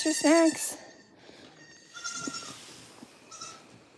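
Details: A goat at a farm gives one short, loud, quavering bleat at the start, followed by faint, distant bleating and low background noise.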